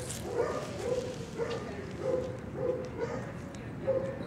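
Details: Chauncey, a young Cardigan Welsh Corgi, calm and gentle, up for adoption through Petango.com, gives short sharp barks or yips about twice per second, each one brief and bright, over light room noise.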